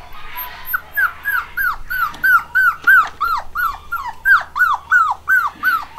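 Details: Litter of home-bred, 8-week-old black and white Cockapoo puppies, boys and girls, giving a steady run of high, arched whining yelps, each rising then falling, roughly three per second, with a faint low hum beneath.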